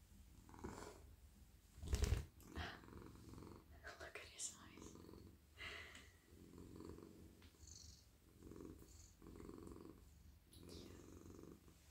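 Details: Domestic cat, a male, purring in a lap during evening petting of head, neck and body; rhythmic low purr rising and falling in regular bursts, with soft whispering near the start and a sharp bump of handling.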